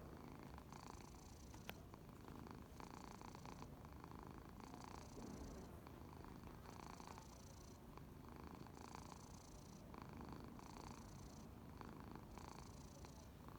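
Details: Ginger cat snoring while asleep: soft, breathy snores repeat steadily about every one and a half seconds over a quiet, hissy background.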